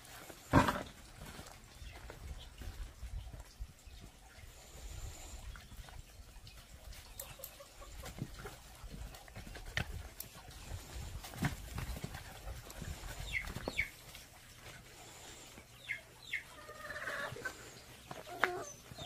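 Pungsan puppies growl and yip in bursts while play-fighting over rank, with scuffling between sounds.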